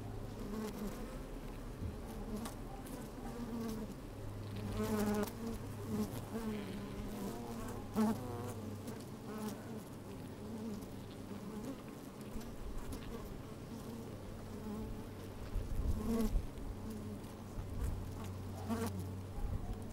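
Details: Inside an opened beehive on a sunny, slightly windy day, honey bees at work give a continuous low droning hum, with a deeper steady tone underneath and short swelling buzzes around five, eight and sixteen seconds.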